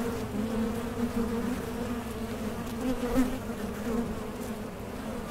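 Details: Continuous humming of honey bees at a small-scale beekeeping setup using Mason jar honey supers; the low, even drone wavers slightly in loudness, with a few soft clicks.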